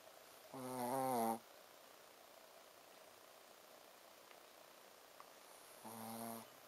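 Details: Sleeping Shih Tzu Ponzu snores twice, about five seconds apart, each a short droning 'buu' with a rich buzzy tone. Only faint indoor hiss between them.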